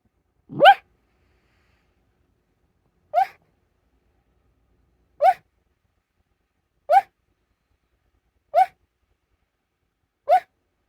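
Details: Dog barking in its sleep early on a dark January morning at 6:15 AM; six short, muffled yips, each with a brief upward sweep, spaced about two seconds apart in an otherwise silent room.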